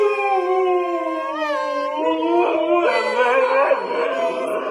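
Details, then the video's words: Husky howling in a funny pet compilation: a drawn-out tonal howl with rich harmonics, sliding slowly downward then wavering and rising, growing rougher and fuller toward the end, with faint background music. "Dogs Singing and Talking 🐶 Awesome huskies"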